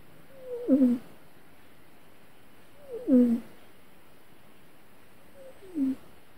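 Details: Cat having a bad dream, giving short whimpering mews that dip downward, three brief cries spaced about two to three seconds apart in a quiet room.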